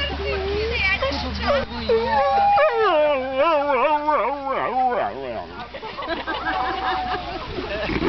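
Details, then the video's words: Bongo, a Saluki, sings while impatiently waiting for lure coursing: a long wavering howl that swoops up and down in rapid quavers, preceded by short whiny yelps and trailing into a thin, steady whine. "Saluki Bongo Singing"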